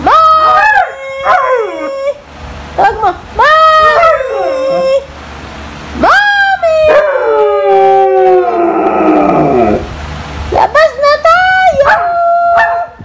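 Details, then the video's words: A female Siberian Husky calling her owner, wanting to go out. She makes repeated bursts of yodeling, talking howls, each swooping up and then wavering down. A long, shaky descending moan comes near the middle, and the bursts are separated by short pauses. "Husky Calling her mom!"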